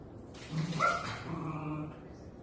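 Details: Shetland Sheepdog puppies about two months old, three brothers playing excitedly with their mother indoors; a short yipping bark with a whimpering tail, after a person speaking.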